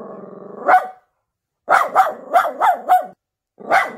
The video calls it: Miniature Pinscher doggy is nervous and barking